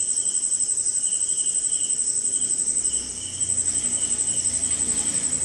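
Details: Crickets in rainy night-time jungle somewhere in India, high continuous ringing over a pulsing lower trill, briefly dipping midway as a low rumbling disturbance passes underneath before the chorus resumes.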